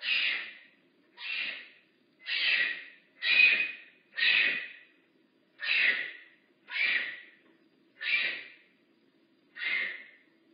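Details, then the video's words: Makani, a rehab bobcat at Big Cat Rescue, giving a series of breathy, hissing calls about once a second, nine bursts in a row with short silent gaps between them. "Lookit! I haz a voice! Makani rehab bobcat"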